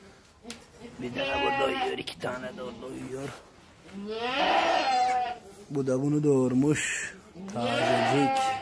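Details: Young goat kids give four loud, quavering bleats, each lasting about a second or two and separated by brief pauses, with a trembling, tremulous quality.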